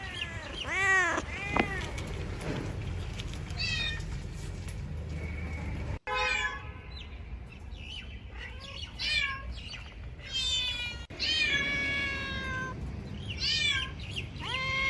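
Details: Cats meowing in a bamboo tree while jumping around looking for food and drink; a string of rising-and-falling harmonic meows, some short and some drawn out, with several overlapping voices and two abrupt cuts in the recording.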